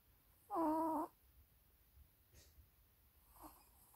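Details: Sleeping Maltese dog snoring indoors: one nasal, squeaky snore of about half a second with a whistled, wavering tone, then near silence with a faint breathy exhale.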